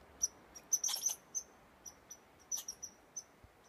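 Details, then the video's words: A squirrel sneezes in Tor Bay Provincial Park, Nova Scotia, Canada. About a dozen short, sharp, high squeaky puffs come within four seconds, some in quick clusters, against a quiet background. "Cute Sneezing Squirrel"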